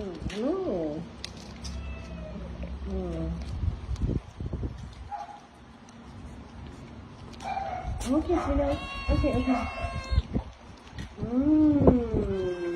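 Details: Cats and kittens meowing while being fed, a few clear bent meows at the start, a cluster of overlapping calls in the middle and a long wavering meow near the end, mixed with a person's speech.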